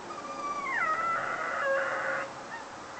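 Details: Foster whippet left alone in the house while the owner went shopping, giving a drawn-out whining howl that slides from high to lower pitch, then wavers and breaks into a thin, fading whine.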